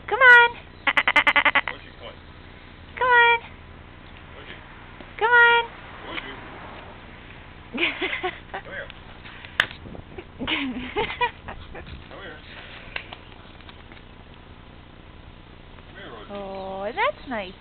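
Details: A one-day-old goat kid bleats in short harmonic cries, several loud calls in the first six seconds and another at the end, with a person calling and coaxing in the background between them.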